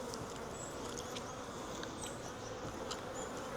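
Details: A caught wild honey bee swarm, taken from a tree branch into a 5-frame nuc box, fills the air with a dense, even buzzing hum, lightly flecked with tiny high ticks.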